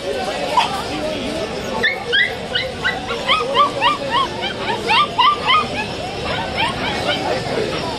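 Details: Saint Bernard puppies at a wholesale pet market on Galiff Street, Kolkata, 2023; high, rising yips and whimpers repeated in quick runs, several voices overlapping, with people talking and market bustle throughout.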